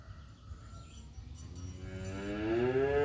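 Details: Two male village cats, a black one and a tabby, face off during a fight in woodland; a long, low, harmonic yowl swells and rises steadily in pitch over the last second and a half, after a quiet, hissy start.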